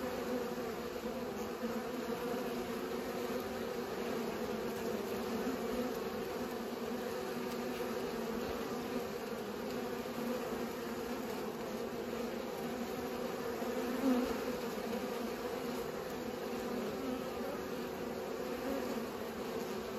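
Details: Pollinating bees give a continuous low buzzing hum, layered tones holding steady for twenty seconds, with one brief click near the fourteenth second.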